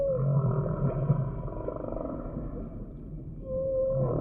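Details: Short humpback whale song phrase: a quick rising squeal opens, low pulsed grunts follow, then another whistled upsweep, over a constant rumbling underwater background.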